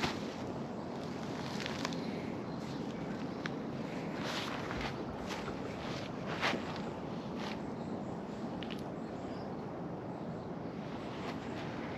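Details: Outdoors, a steady broadband hiss of wind and distant traffic runs throughout, broken by soft scattered taps like footsteps, with no animal call standing out.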